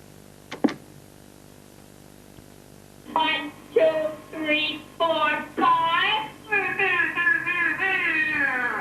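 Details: A captive dolphin, kept in seaside enclosed pools and taught human language in Lilly's study, mimics speech with nasal, wailing, syllable-like bursts after a pair of sharp clicks.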